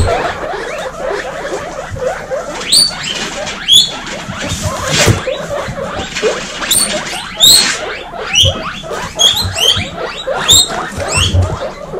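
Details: Loud wheeking from a kindergarten of baby female guinea pigs; shrill rising whistles repeat about every second above a constant bed of chattering squeaks and occasional knocks.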